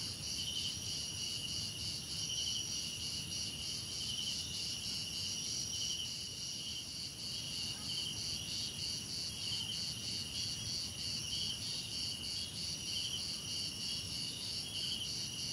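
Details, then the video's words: Crickets in a relaxing nature-sound track, a dense chorus of steady high chirping in several pitch layers, with pulsed trills woven through and a soft low rumble of background noise beneath. "Relaxing Cricket Sounds"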